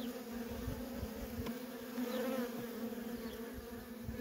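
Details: Continuous low hum of worker honey bees streaming in and out of a feral colony, an even layered drone with a slight rise in loudness midway and soft thumps underneath.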